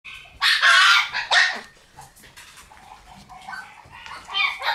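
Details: Female red Shiba Inu born on 24 August, giving two loud, high squealing yelps in the first second and a half, followed by softer whimpering and a few thin squeaks near the end.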